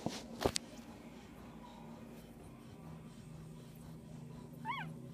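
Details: Newborn Pit Bull puppies, one day old, from a litter of ten (five males, five females) born 7 December 2014 to Connie and Rocky; a single short, squeaky rising-then-falling whimper near the end, over steady indoor hum after an opening knock.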